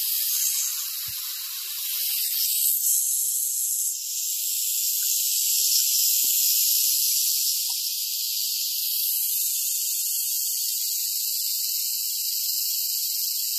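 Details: Continuous high hissing buzz from a western diamondback rattlesnake, swelling slightly in the first seconds and then running unbroken and even to the end, with scattered faint knocks.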